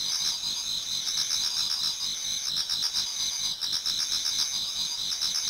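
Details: Numerous insects singing in a Japanese garden on an autumn night toward dawn: shrill, rapidly pulsed trills in several high bands, steady chorus with a brief dip midway.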